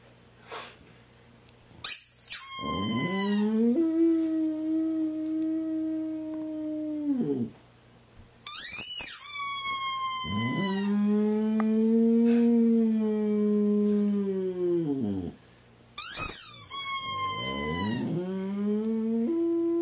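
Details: Squeaky toy bursts set off a Boxer dog's howling three times; each shrill squeak is followed by a drawn-out, steady howl, the longest lasting around seven seconds, slightly rising then falling away.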